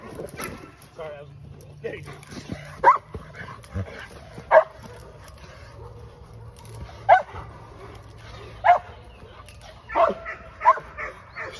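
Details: English Mastiff Aries in a first training session: isolated loud barks every one to two seconds over a low background hum, with faint talking between them.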